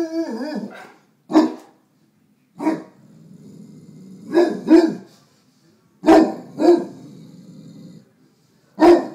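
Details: Neapolitan Mastiff barking at his own reflection in a mirror, acting protective; deep, harmonic barks, single and in pairs, spaced about a second apart with a short low growl at the start and quiet pauses between.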